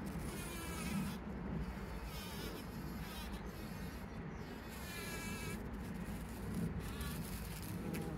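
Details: Trail camera recording from 17 June 2023 of bees collecting pollen: a dense, low buzzing drone with several insects swinging in and out of range, giving short louder swells.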